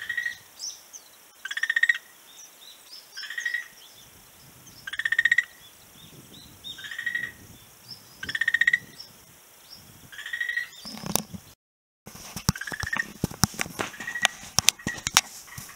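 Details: Frog on a beach in March 2017 repeating short pulsed rattling calls roughly every one and a half seconds, then loud handling knocks and rustling interrupt near the end, with calls continuing faintly.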